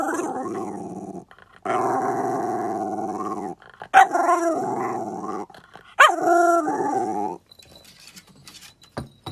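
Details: Jack Russell Terrier in a funny dog compilation, giving long sustained growling, moaning vocalizations in three bouts of about two seconds each, separated by brief pauses, ending in quiet.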